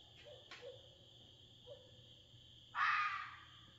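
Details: Outdoors in the middle of the night in the Smoky Mountains of Tennessee, USA, a red fox gives one harsh, raspy scream after a few faint, soft low notes.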